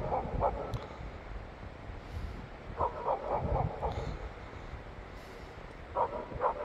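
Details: Five Jindo dogs lined up along a snowy gateway driveway after snowfall in January bark in short, sharp clusters of overlapping barks with pauses between bursts; the lowest-ranked dog barks at the front.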